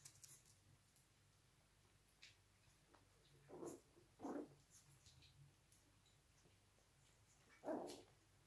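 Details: Yorkshire Terrier puppies from a registered breeding kennel in Austria, fighting indoors: three short, low yips or growly barks spaced a few seconds apart over a quiet, steady room hum.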